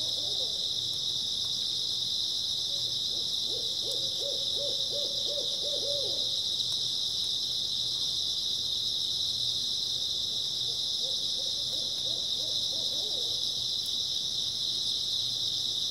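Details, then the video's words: Early autumn night chorus of grass insects, an unbroken high-pitched ringing trill, while two bursts of quick low hoots, each several notes long, sound from a distance. "풀벌레 소리"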